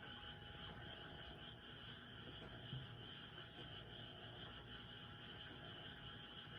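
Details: Night-time frog chorus, noisy enough to overwhelm a cat's meowing somewhere nearby: an unbroken wall of high, buzzing trills held at even loudness throughout, with a faint low rumble beneath.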